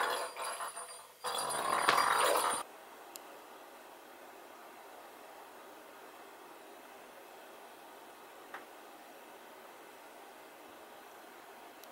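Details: Crinkling, tearing and tapping sounds of cat toys being handled indoors over a low steady hum.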